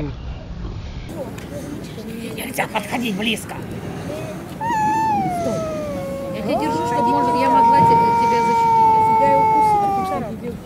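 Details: Stray cats fighting in a Russian city: after rustling and scuffling, a rising wail turns into a long, steady, high-pitched yowl held for several seconds.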